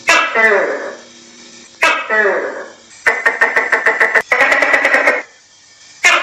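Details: A tokay gecko (Gekko gecko) calls in the countryside, giving loud, throaty, voice-like barks between bursts of rapid, clipped pulses.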